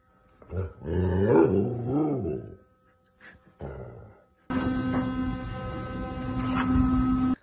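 A Golden Retriever gives drawn-out, wavering whines that rise and fall in pitch, followed by steady humming noise.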